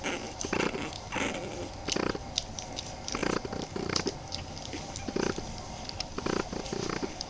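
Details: Grunty, low growling bursts from 23-day-old Boston Terrier puppies, coming in short repeated pulses roughly every half second to second, with faint rustling between them.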